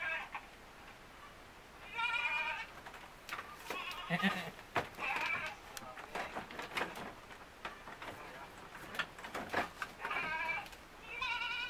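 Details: Etawah goat kids, white with black heads, playing together inside a pen, 5 September 2021; high, wavering harmonic bleats come in short bursts near the start, middle and end, with clattering, knocking and rustling in between.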